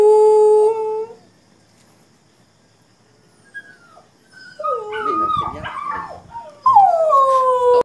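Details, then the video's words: Pink, a one-year-old pet dog, howls in reaction to puppy cries played on a phone, a sound she seldom makes. A long steady howl trails off, then after a pause come rising and falling whining howls, ending with a strong sustained howl. "Dog funny reaction to puppy cry sound from the phone"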